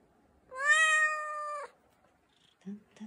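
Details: American Shorthair cat, affectionate and clingy, held in arms for a morning greeting indoors; one long, lively, bright meow lasting about a second with a steady pitch, followed by a woman speaking gently.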